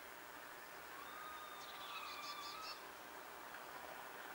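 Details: Two wild female red squirrels communicating from a distance: thin drawn-out whistles, then a rapid series of short high pulses around the two-second mark, over steady background hiss.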